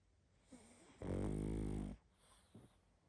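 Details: Sleeping pug gives one loud, harsh, rattling snore of about a second, framed by quieter snuffling breaths before and after.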